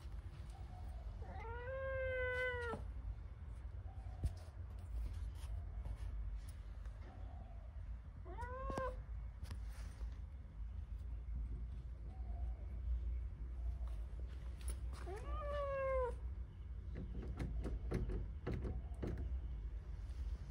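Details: Persian kitten meowing to be let outside: three loud, arching, tonal meows spaced roughly seven seconds apart, each swelling then falling, with quieter short mews between and a constant low background hum.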